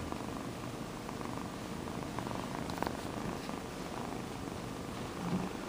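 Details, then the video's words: Kitten named Sonny, a male, purring loudly for the camera indoors: a steady low rumbling purr pulsing throughout, with a faint louder swell near the end. "Kitten Purring"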